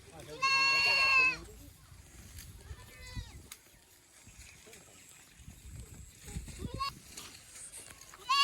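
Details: Boer goat kept on a village farm in Nepal, where local goats are crossed with Boer kids; one loud, harmonic, wavering bleat about a second long near the start, then quiet talking and rustling, with a brief high cry at the end.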